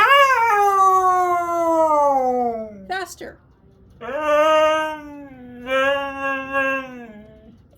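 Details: Sunday-morning scream from a Siberian Husky: a long descending wail, a short broken gap of noise, then two more sustained howls with wavering pitch that droop at their ends.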